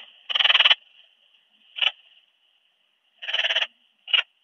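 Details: Ringed bush-cricket, Rhacocleis annulata, at Biedermannsdorf, Austria, 8 August 2022, picked up with a Pettersson D 100 ultrasound detector: two buzzy pulsed bursts, each about half a second, each followed by a short single chirp, over a steady high electronic whine.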